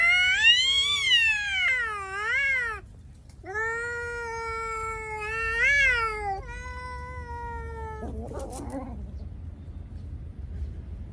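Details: Cat letting out long, loud caterwauling yowls that bend up and down in pitch, several wavering cries in a row followed by a short rough hiss-like burst, then quiet room noise.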